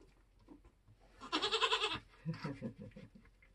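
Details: During kidding season on a homestead, a Nigerian Dwarf goat in labour gives one loud, strained, pulsing bleat lasting under a second, followed by lower rhythmic grunting breaths.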